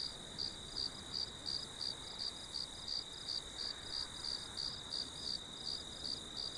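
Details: Cricket chirping in a steady series of short, high, bright pulses, about three each second, over a constant high insect hiss and a faint low background rumble.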